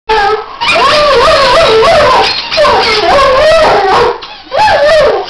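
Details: Archie, a Weimaraner, singing along to squeaky toys: long wavering howls with sliding, warbling pitch in two sustained bouts, a high squeaky toy tone layered above.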